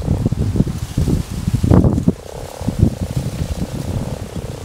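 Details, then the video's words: Common frogs croak in a pond during spawning, giving low, soft, purring croaks that overlap into a steady rumbling chorus. "Кваканье травяной лягушки в пруду во время нереста"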